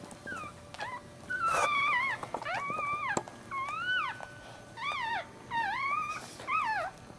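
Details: Maltese puppy at birth, in a March 2009 litter with a feet-first breech delivery, crying loudly: arched, wavering squeals repeated about every second, each rising then dropping, with faint rustling underneath.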